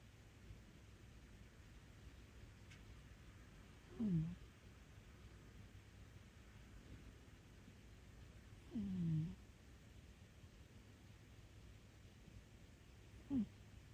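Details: Domestic cat in deep sleep, snoring: three short, low rumbling breaths roughly four to five seconds apart, each swelling briefly then fading, over a steady quiet background hiss.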